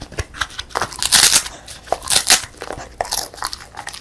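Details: A female beagle, born December 2016, crunches a crisp puffed rice snack in sharp, bright bursts in a quiet room.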